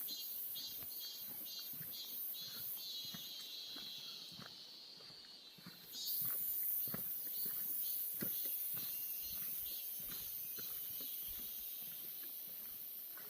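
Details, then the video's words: Cicadas calling in a birch forest in summer in Gyeongbuk: a pulsing high buzz pulsing about twice a second, then after six seconds a steady, shrill hiss joins in, with soft clicking footsteps beneath. "매미소리 정겨운 ㆍ자작나무숲"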